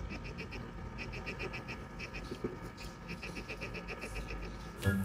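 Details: Two hermit crabs fighting over a shell give quick runs of thin, cricket-like chirps in short bursts, which the owner believes is a sound to threaten enemies or rivals.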